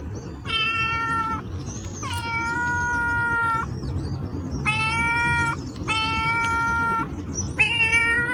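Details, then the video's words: Domestic cats giving long, level, sustained meows, five drawn-out calls with flat steady pitch, over a constant low rumbling background noise. "Cats Meow 10 Minutes of Cats Making Meow Sounds"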